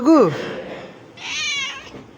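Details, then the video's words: A cat named Balu gives one short rising-then-falling meow at the start, followed by a quieter hiss-like noisy sound with faint speech in the background. "ବଳୁ #cat ବିଲେଇ"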